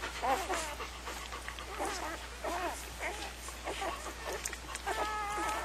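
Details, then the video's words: Puppies whimpering and squealing in a series of short, arched, wavering high-pitched cries that overlap at times, with faint background hiss throughout. "Puppies #3"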